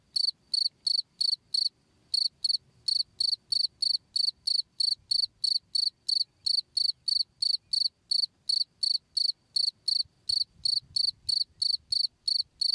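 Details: A cricket gives high, pure-toned chirps, about three a second, in a steady run; recorded as a tutor sound for training perkutut birds.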